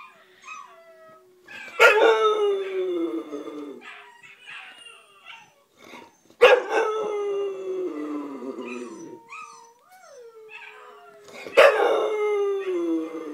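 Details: A bulldog, howling after hearing other puppies cry, gives three long, falling howls about five seconds apart, with softer whines in between.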